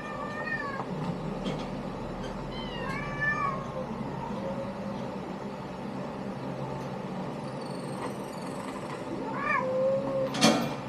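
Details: Litter of kittens mewing, several thin high-pitched rising and falling mews from different kittens, some short and wavering, one sharp squeak near the end, over a steady low background hum.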